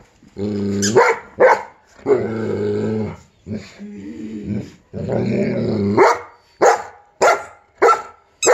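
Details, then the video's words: Giant Schnauzer reacting to a squeaky sound: long harmonic growling grumbles of a second or more alternate with sharp barks, ending in a quick run of loud single barks. "Giant Schnauzer vs squeaky sound"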